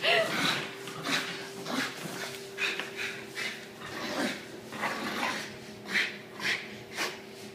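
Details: Two-year-old female English Bulldog named Miss Madam, 25 kg, breathing in loud snuffling snorts and pants, repeated roughly twice a second, with a constant faint hum in the room.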